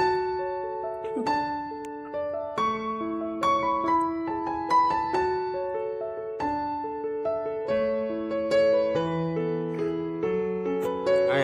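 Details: Gentle solo piano melody with sustained chords and a slow, lullaby-like pace, with no animal sounds.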